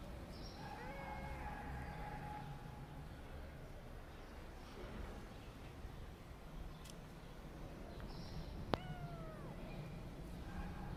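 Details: Kittens giving thin, high mews: a long flat cry early on, softer calls later, then a short falling meow after a sharp click near nine seconds, against constant low-pitched background noise.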